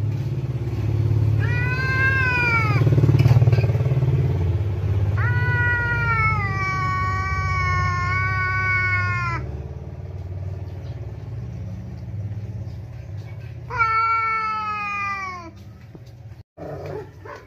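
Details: Angry yowling from Kiki, a house cat furious whenever an outside cat visits its home: three loud sustained moaning wails, each slightly rising then falling at the end, with low engine-like hum underneath.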